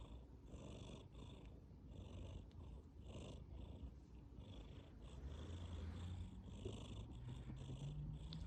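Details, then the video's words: Tabby cat asleep, purring with a soft snore. A deep, steady rumble rises and falls in breath-length waves, growing slightly louder and fuller toward the end, in a quiet room. "Purring and snoring"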